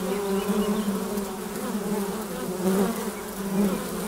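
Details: A constant hum of honey bees flying in and out at the hive entrance. The low, even drone has brief brighter whines as single bees zip past.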